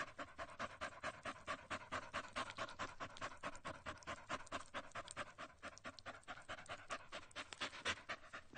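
An animal pants rapidly, with quick breathy huffs that come in a steady, fast rhythm.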